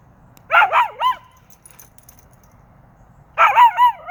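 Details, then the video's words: Dog named Mango giving two groups of quick wavering howls, each a few bending, sliding notes, with near silence in between. "Mango howling"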